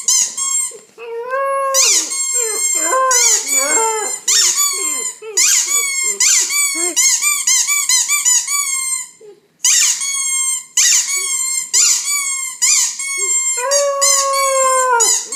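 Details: Nine-week-old white German Shepherd puppy, female, howling whenever a toy is squeezed indoors; shrill rhythmic squeaks dominate, with drawn-out wavering puppy howls sliding beneath them at the start, middle and end.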